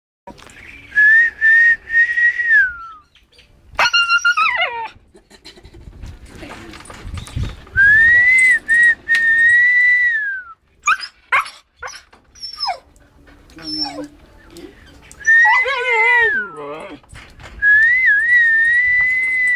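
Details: Siberian Husky vocalising in a barking and howling style: high, level whining tones recur several times, broken by two sharper descending howls rich in overtones, with short gaps of quiet between bursts.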